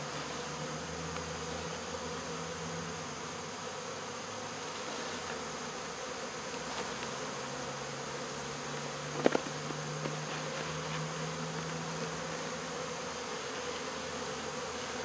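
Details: Many honey bees of a swarm being removed from baseball fields hum steadily in a dense buzz, with a low droning tone fading in and out and one sharp knock midway.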